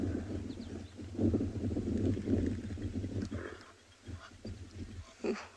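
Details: Hippopotamus at a waterhole in a South African game reserve, just surfaced, afternoon: deep, rolling, stuttering grunts likened to an old car trying to start, fading after three seconds, with faint bird calls behind.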